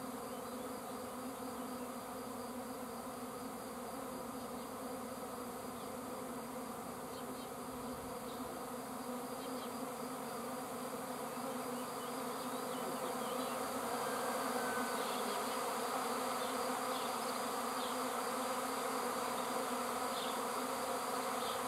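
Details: Swarm of bees in flight: a dense, continuous, droning hum of many wings that holds steady throughout and grows slightly louder toward the end.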